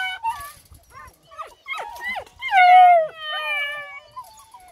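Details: Eight-week-old Bluetick Coonhound puppies, several together, being fed, with high whining yelps and a long drawn-out falling howl near the middle, overlapping cries, and a woman talking to them.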